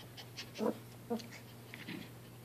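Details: Two tired five-month-old Maltese puppies, sisters Crystal and Drizzle, wrestle indoors, mouthing each other while wiggling on their backs; two short, soft voiced grunts come about half a second apart, with faint snuffling and a steady low hum beneath.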